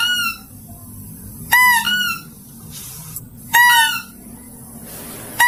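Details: Mouse-deer call for luring: sharp, piercing harmonic squeals in quick pairs, repeated at two-second intervals with near silence between.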